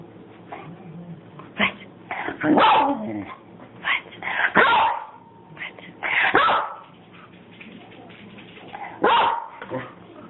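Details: Pet dog giving loud, sharp barks and yips in bursts spaced a second or two apart, some drawn out slightly, with a person talking between them.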